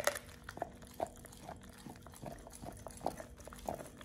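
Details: Pit Bull named Oliang gnawing a raw ostrich paw, a first-time snack for teeth polishing and jaw exercise; soft, moist chewing clicks repeat roughly every half second over a low indoor hum.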